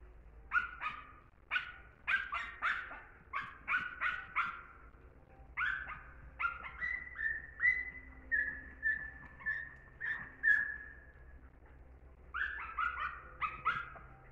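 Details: German Hunting Terrier voicing a steady series of shrill, tonal yelps about once a second, then a stretch of longer, even whining notes, before a quick burst of yelps resumes.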